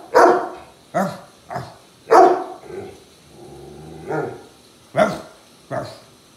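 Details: German Shepherd play-fighting with its owner, giving sharp barks in quick succession, with a lower drawn-out growling whine in the middle.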